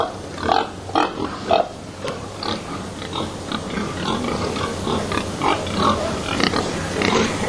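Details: Stressed pigs crowded in narrow lairage boxes at a slaughterhouse in Sweden, held overnight before slaughter; loud sharp squeals and grunts burst out in the first two seconds, then softer scattered grunts continue over constant background noise.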